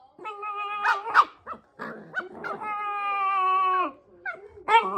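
A Shiba Inu makes odd, tuneful yowls, ending in a long, steady, moaning note.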